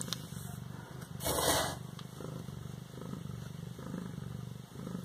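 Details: An 18-day-old Siamese kitten in Bas-Saint-Laurent purrs in a low, steady, rapidly pulsing rumble.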